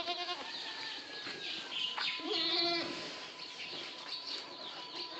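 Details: Boer goat on a goat farm in Maharashtra, India: one nasal, wavering bleat lasting about a second, with fainter animal calls and a steady hum of farm background noise.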